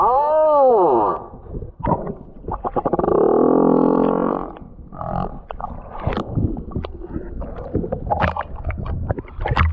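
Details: A large male humpback whale sings rich, arching moans followed by a run of low grunts and pulses. He is circling the Tonga Islands, where he has come to find a mate.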